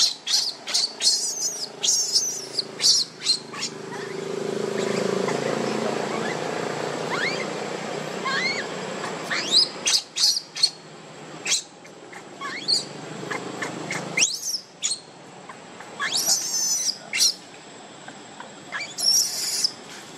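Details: Baby monkey named Leo crying while missing its mother and begging for milk: rapid high-pitched squeaks and chirps, some sharply rising, come in irregular bursts, with a low rumbling murmur midway and scattered clicking noises.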